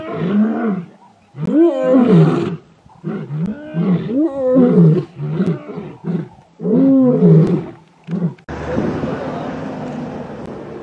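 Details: In the Masai Mara's Ol Kinyei Conservancy, a coalition of young male lions moves to seize their fathers' territory. Repeated harsh, wavering roars and snarls come in short bursts with brief gaps, ending in a broad rushing noise.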